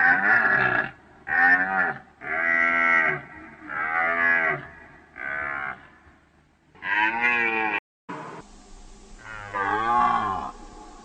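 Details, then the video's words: Deer with a run of loud, harmonic bellows roughly a second long, each bending up and then down in pitch, given in quick succession. A short break leads to a quieter, lower call at the end. "Deer Sound Effect"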